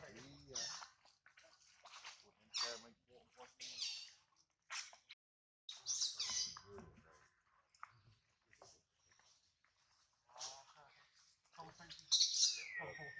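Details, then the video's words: Hungry baby monkey Adler, missing his mother and held by a small monkey, gives repeated shrill squealing cries, some wavering and harmonic, in uneven bursts with short silences, ending in a loud piercing wail that slides downward. "POOR BABY MONKEY CRYING IN HANDS OF SMALL MONKEY BABY MONKEY ADLER MISSES HIS MOM AND HUNGRY"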